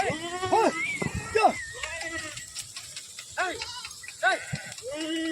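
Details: Domestic sheep being bathed, refusing to enter a canal as two men try to drive them in; several wavering, harmonic bleats rising and falling, scattered through the clip amid men's speech.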